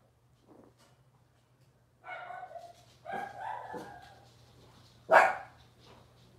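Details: Cavalier King Charles Spaniel puppies from Robin's litter, indoors on a kitchen livestream: a drawn-out whine, then a wavering higher whimper, and a sharp yip near the end, over a steady low hum in a quiet room.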